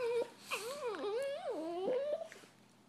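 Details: Two Italian Greyhound brothers disagreeing, annoyed indoors: a high, wavering whining moan that swoops up and down repeatedly, ending in a soft trailing whimper.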